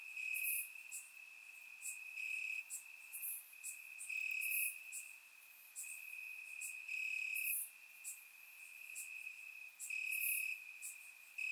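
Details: Summer night in Bulgaria with crickets chirping among grass: steady high-pitched trill rising in loud pulses roughly every two seconds, joined by crisp high clicks from neighbouring insects, captured with a surround microphone.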